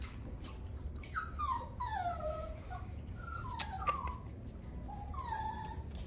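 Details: Three-year-old black and white male Chihuahua whimpering: several thin, high whines that slide downward, each lasting about a second with short gaps between, over a low steady background rumble.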